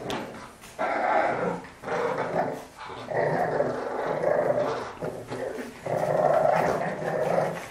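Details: French Bulldog in a play fight, producing sustained snarling growls in four long bursts separated by short gaps, gritty and harmonic in tone.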